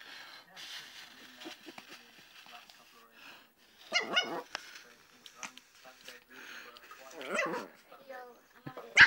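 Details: A female Lhasa Apso puppy, wound up by people blowing in her face and waving her paws at them, lets out high, excited yelps and short barks between bursts of human talk.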